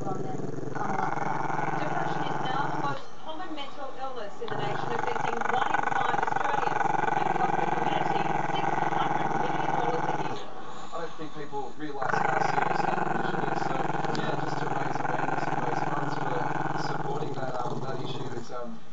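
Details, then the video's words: Chester, a Maltese-Shih Tzu pup who growls when filmed, produces a drawn-out, throaty, pulsing growl lasting most of the clip, interrupted twice by short bits of human speech. "crazy long growL"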